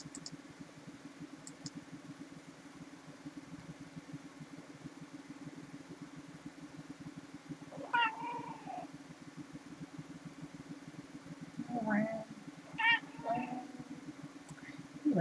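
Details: Domestic cats lounging, giving three short harmonic meows, a drawn-out one then two close together a second apart, over a steady low motor-like rumble.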